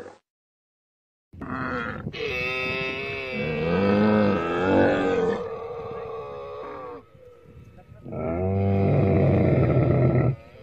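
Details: Camel bellows in long, rich, wavering moans, two sustained bouts of two to three seconds separated by a quieter droning stretch.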